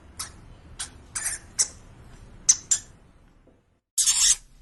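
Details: Household pet hamster making several short, raspy, high bursts, a brief silence, then one longer, louder harsh burst at the end.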